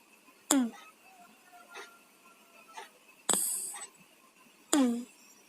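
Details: Sleeping cats Tayen and Lilu, congested with colds, snore indoors: two squeaky whistled breaths falling in pitch, separated by a hissing rasp, with faint wheezy tones between them.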